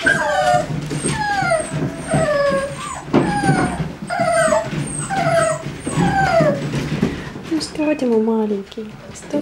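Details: American Staffordshire Terrier at a breeding kennel giving repeated high, drawn-out whines that slide downward, several overlapping in quick succession with short yelps near the end; low murmuring in the background.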